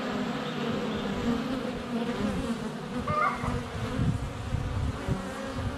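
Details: Constant flight of honey bees at the hive entrance, filmed up close with a GoPro in February sun: rich low buzzing, a short mid-pitched call near the middle and soft bumps of bees against the camera.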